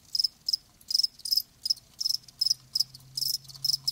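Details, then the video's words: Crickets giving sharp, high-pitched chirps in quick pairs and clusters about three times a second, with a faint low hum underneath. "Live Crickets 60min "Natural Sound""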